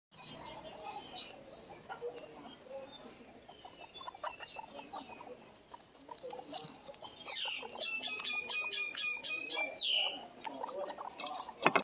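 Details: Pet guinea pig heard amid soft rustling and clicking patter, with a few short, steady high whistled tones near the end and a sharp burst at the close.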